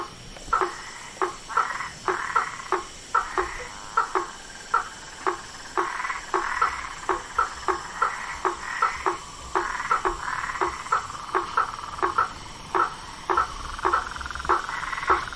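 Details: Frogs, toads and tree frogs in the wild give a busy chorus of short, clipped knocking notes, repeated roughly twice a second, with a faint warbling trill running between them.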